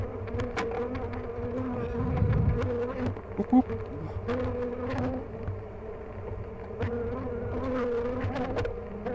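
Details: Busy honey bee hive during an inspection at The Mountain, frames heavy with honey; dense steady droning hum with sharp clicks and knocks from handling scattered across it.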